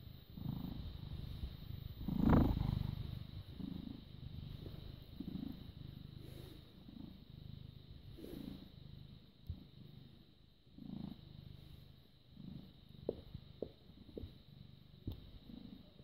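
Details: British Shorthair cat born 18 August 2010, filmed 6 May 2017 at 21:55, purring steadily as a low, rumbling drone with a pulsing rhythm, broken by a brief louder handling noise near the start and soft clicks later.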